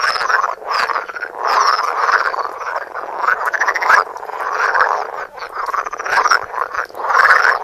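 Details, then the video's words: Loud close-up chorus of croaking frogs recorded on a Samsung phone: harsh buzzing croaks in long pulsed bursts, repeated every second or so, overlapping callers with a few sharper clicks. "Frogs croaking. Coassements de grenouilles"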